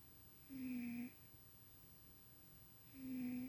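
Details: Domestic cat named Tuxie asleep indoors, dreaming and snoring; two soft humming snores about two and a half seconds apart, each roughly half a second long, in a quiet room.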